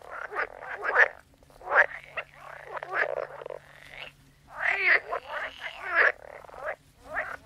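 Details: Frog chorus with uneven bursts of raspy croaks and rattling notes, some rising into brief trills, gaps of near quiet between clusters.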